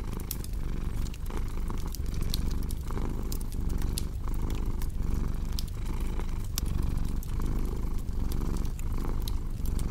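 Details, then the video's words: Contented cat purring close up, a thick rumbling buzz in steady rhythmic pulses, accompanied by crackling fire with sharp intermittent pops. "Purring Cat"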